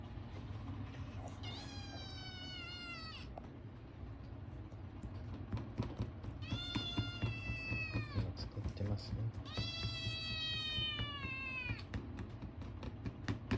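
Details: A male Ragamuffin kitten, born March 2022 and very demanding of people, gives three long, drawn-out, strange meows, each bending slightly downward, while begging for food.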